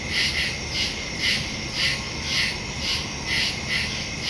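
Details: Night woodland crickets recorded September 2, 2023 on a phone with stereo microphone; bright high-pitched pulses about twice a second, several insects chirping together above faint low rumble.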